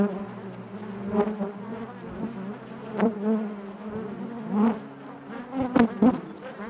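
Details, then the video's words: Honey bees buzzing inside their hive: a dense, steady hum with a strong low drone and stacked overtones, swelling and dipping, with occasional louder passes of single bees close by. "bees therapy hive natural buzzing sound"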